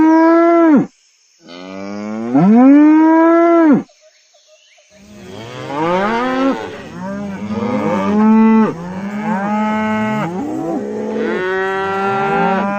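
Cows moo: two long, rising lows from one animal, then a chorus of overlapping moos.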